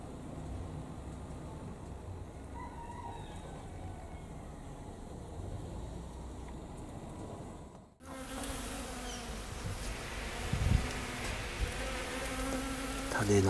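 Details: Honey bees gathering at knotweed flowers at a home in Thailand. A low, steady droning hum of wings comes with faint harmonic bands. A brief break occurs partway through, then the buzzing resumes louder with small knocks and rustles.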